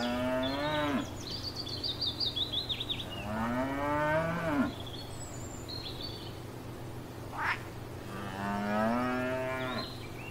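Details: Cows grazing in a field, giving three moos of about a second each, some with a rising tone, amid chirping birds and a brief sharp click.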